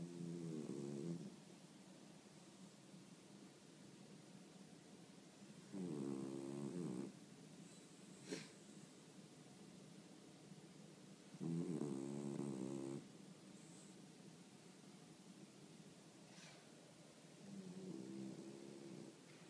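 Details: Boston Terrier from Arakawa ward, Japan, snoring in deep sleep: four buzzy, rattling snores of about one second each, recurring roughly every five to six seconds, against constant background hiss and a couple of faint ticks.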